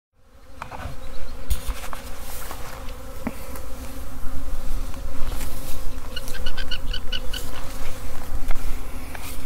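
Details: Honey bee swarm leaving its hive, a dense steady hum with tonal bands, rising in loudness over the clip, with scattered clicks and a brief chirping sound near the end.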